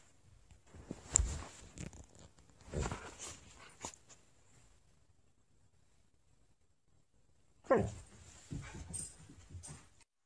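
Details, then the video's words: Pet husky Sasha complaining in a small room while someone puts on her collar: two bursts of grumbling, whimpering vocalizations separated by a quiet pause, the second opening with a swooping whine. "cute husky's drama"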